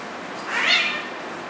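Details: Siberian cat, a fluffy long-haired domestic cat, indoors, giving one short rising-then-falling meow lasting about half a second, over steady faint background hiss.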